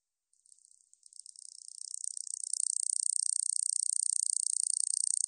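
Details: Katydid from 2020 National Institute of Biological Resources recordings: a few hesitant scratchy pulses build steadily into a continuous, fast, high-pitched buzzing trill that keeps going to the end.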